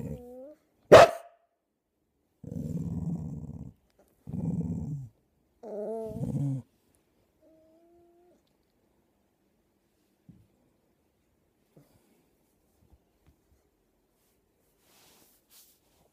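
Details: Fox terrier puppy and a chow chow mix indoors growling at each other as if talking: a sharp bark near the start, then three low rumbling growl bursts with whiny rising tones, followed by quiet with faint taps.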